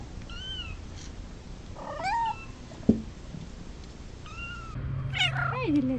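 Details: Domestic cat giving several faint, drawn-out meows, some level and some bending downward, over a steady low hum, with a sharp click near the middle.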